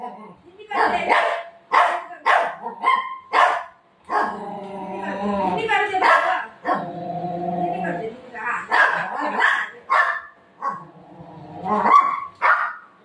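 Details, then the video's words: Playful golden retriever disturbing its mom's afternoon rest: sharp barks repeated about every half second, then a stretch where a woman scolds it over quieter vocalizing, then more barking toward the end. "cute golden retriever dog playing with mom"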